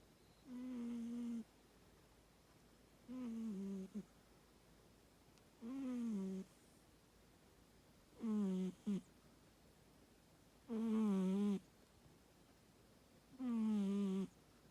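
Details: Mako, a pet American Shorthair cat, snoring indoors: six nasal, tonal snores, each about a second long with a slightly falling pitch, repeating steadily about every two and a half seconds, separated by quiet pauses in a small room.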